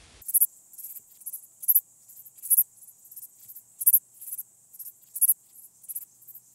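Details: Striated bush-cricket (Pachytrachis striolatus) singing at Vela Ucka, Croatia, on 25 July 2023: very high, hissing chirps repeated roughly twice a second, some louder than others, over a silent background.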